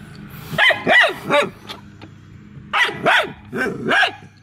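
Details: Hounds trying to catch an escaping squirrel give loud, bright barks, three in quick succession, a pause, then three more, each bark arching up and falling away.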